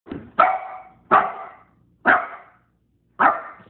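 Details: Dog barking, four loud sharp barks spaced roughly a second apart after a softer opening yap, each bark bright and harsh with a quick fade, in a quiet setting.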